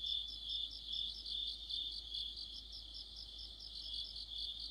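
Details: Autumn night insect chorus led by crickets: a thin continuous high trill under clusters of bright pulsing chirps, loudest at the start and slightly softer later.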